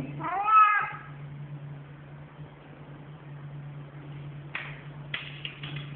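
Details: Short, clear meow from a very vocal male domestic cat, followed by quiet stretches with a steady low hum and a few faint clicks and rustles.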